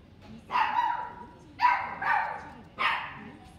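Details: Pomeranian in a pet shop in Shiojiri, Japan, giving three loud, harmonic barks or yelps, each about half a second long and spaced roughly a second apart, with quiet room background between them.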